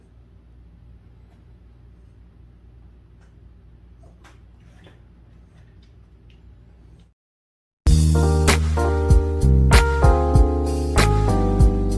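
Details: A low, steady hum for seven seconds, a brief silence, then loud plucked music with sharp beats.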